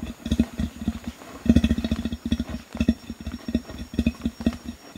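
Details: Male Bornean orangutan giving warning threat calls at gibbons, recorded medium close-up. Continuous low, rough grunts come in quick rhythmic bursts, several per second, with short pauses between volleys.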